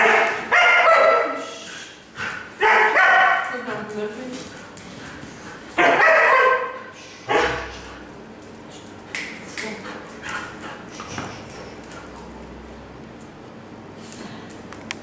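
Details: A young female Alaskan Malamute, nearly one year old, greets her owner's mother with wild excitement: four loud, harmonic woo-like bursts over eight seconds, then softer scattered yips and faint voices.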